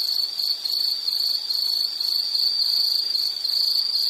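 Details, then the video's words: Continuous shrill insect trill on a single high pitch, faintly wavering in loudness, with little else beyond light background hiss. "Nature Sound of nature sounds scenery L · insect"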